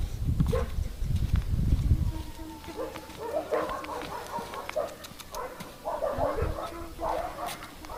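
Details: A male Siberian husky gives a run of short, tonal, whining vocalizations after a burst of low rumbling noise.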